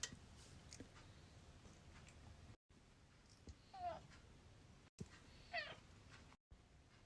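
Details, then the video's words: Domestic cat indoors, begging to be let outside on a cold day: two short, faint meows a couple of seconds apart, rising then falling, under a quiet room hum. "the Cat begs me to go inside nature"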